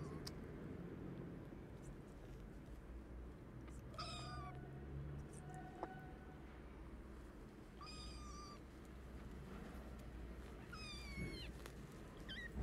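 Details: Hungry orphan kittens, sick and motherless, crying for food: three separate drawn-out meows with bright stacked overtones, spaced about four seconds apart, with faint clicks and a constant low hum behind.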